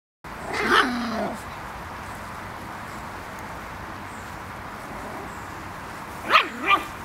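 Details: 8-week-old Schipperke puppies playing by a canal give a couple of short, high yipping barks separated by a quiet pause.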